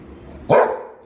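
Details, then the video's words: Golden Retriever giving a single sharp, loud bark with a strong tonal core, rising abruptly and fading over a quarter second against a quiet low hum. "Barking Sound of a Golden Retriever"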